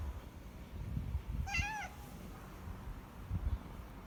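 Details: Mikkeu, a once-stray cat adopted into a home after years of visiting for food, lets out one short harmonic meow lasting under half a second, rising slightly then dropping, over low rumbling background noise.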